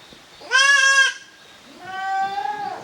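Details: Goat kids playing in a farm exercise yard in Japan on 13 June 2023, the offspring of Koharu and Okayu; a sharp, bright bleat of half a second followed by a softer, longer, lower bleat that trails off.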